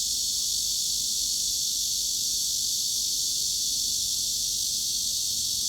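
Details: Cicada chorus offered as a mid-frequency masking sound for tinnitus relief: a dense, unbroken high-pitched buzzing hiss, steady in loudness throughout, with no pauses or pulses and no other sounds.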